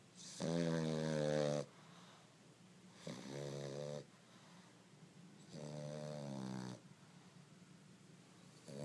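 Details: Snoring dog, with loud, buzzy, harmonic-rich snores of about one second each, repeating roughly every two and a half seconds, four in all, separated by quiet breathing and faint room hiss.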